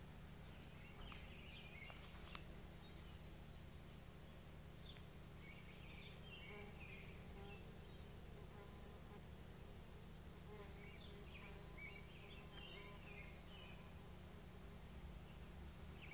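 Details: Several bees hum around blooming rhododendron flowers on 18 May 2020: a low, unbroken droning buzz over steady ambient noise, with a brief click near the start.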